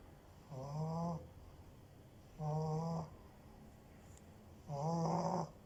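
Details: A French Bulldog snores in low, rasping bursts, one every two seconds or so.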